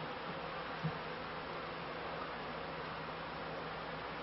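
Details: Beekeeping colony of honey bees on their first high flights collecting pollen, 1995–96 season; continuous soft buzz with a steady low hum tone and one small click near the start.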